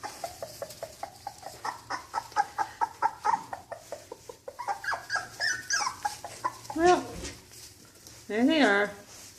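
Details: Cocker Spaniel puppies taken outside for the first time, a string of short high whimpers and yelps in rapid pulses, then a few longer rising-falling whines, with a person talking softly nearby.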